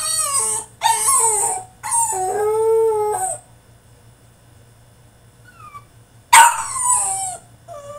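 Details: Caged French Bulldog in a tantrum, giving loud drawn-out howling whines, one held steady for over a second, then a pause of quiet and a sharp falling cry that trails into a softer whine.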